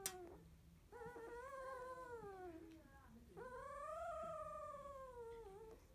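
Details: Sixteen-day-old field-type Labrador Retriever puppy, eyes just opened, settling to sleep after nursing; two long, tonal whines, the first gently falling, the second rising then arching down, separated by a brief breathy gap.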